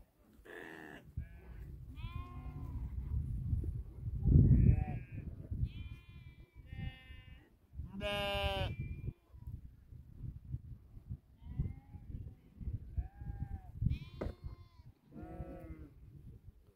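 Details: Nepalese sheep herd of 2000 guarded by eight Tibetan Mastiffs; many short bleats from several animals scattered throughout, one loud trembling call near eight seconds, with low rumbling and thumps.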